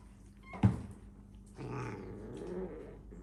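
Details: A house cat, living indoors alongside various exotic animals, gives a low, rough, drawn-out wail of about a second and a half, after a sharp single knock.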